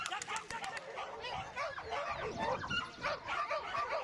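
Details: Border Collie barking and yipping in rapid, irregular bursts, sharp yelps piling on one another with little pause, over a busy background with faint voices.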